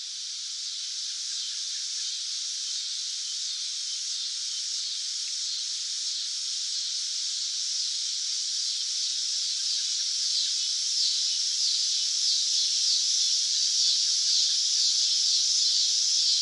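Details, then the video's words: Summer cicada droning continuously, a dense high-pitched buzz with a faint rapid pulsing running through it and slowly growing louder, no other sounds. "Cicada Sound Effects | Summer Nature Sounds - Sounds From the Cicada"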